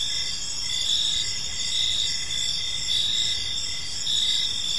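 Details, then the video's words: Crickets chirping on an evening in a park: steady high trilling bands with pulsed chirps recurring roughly once a second, several insects overlapping in a dense chorus, over faint low background hum. "Park Serenade: Cricket Sounds in a Peaceful Park"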